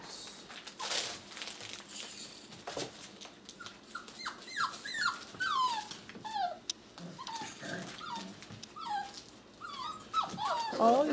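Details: Six-week-old puppies, weighed one by one indoors, break into a run of high-pitched falling whimpers and squeals that grow denser and louder toward the end, mixed with rustling and handling sounds.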